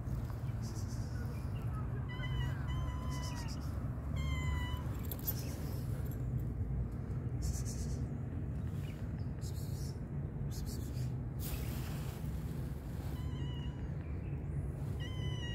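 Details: Tabby stray cat in a park, waiting for food, gives several falling, drawn-out meows spaced through the recording, with gaps between them, over a constant low rumble of traffic.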